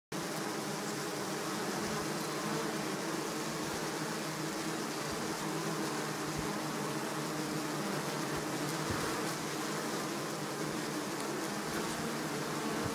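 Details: Bees feeding on honey, a steady dense buzzing hum holding through the whole stretch with no breaks, faint broadband hiss above.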